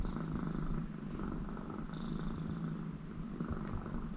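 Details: American Shorthair cat Connie in a very happy mood, purring in her throat with her owner at her side; soft continuous low rumble, even and unbroken throughout.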